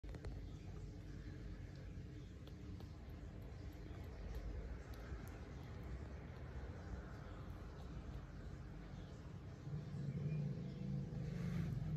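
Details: Low road traffic rumble and distant voices outdoors, with a louder vehicle passing near the end and no animal sound.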